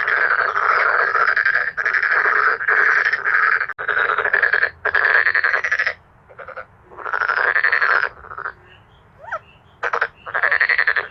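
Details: Male black-spotted pond frogs in a loud chorus: rasping, pulsed croaks under a second long, repeated in quick succession with brief pauses. Near the end a short rising chirp sounds between bursts.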